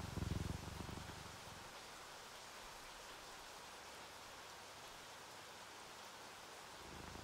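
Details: Relaxed, sleepy purring of a house cat, one of a ginger tabby and a calico, a low rapid rumble clear for about the first second and a half, then fading under steady rain on a window.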